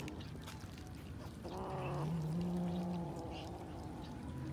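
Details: A kitten eating raw fish lets out a low, drawn-out yowl lasting about two seconds, with a brief higher whine at its start, over steady rustling background noise.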